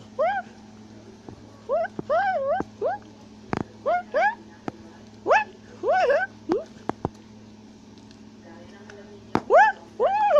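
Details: A tufted capuchin climbs a tree in South America, shouting and chattering. Repeated arched, wavering whines come in bursts of two or three and stand out clearly over a faint low electrical hum, with occasional clicks.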